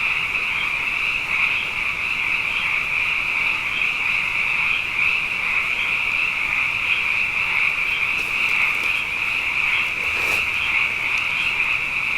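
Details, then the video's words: Many frogs chorusing at night following two wet years in a row: a continuous high trilled drone with small rhythmic swells, and a few brief faint clicks or knocks near the end. "Frog Songs: Na Mele o nā Paloka"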